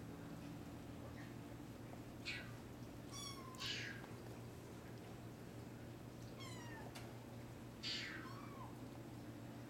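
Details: Sphynx and Bambino kittens of one litter, awake and mewing indoors: several short high thin meows, some dipping downward, spaced a couple of seconds apart over a steady low hum.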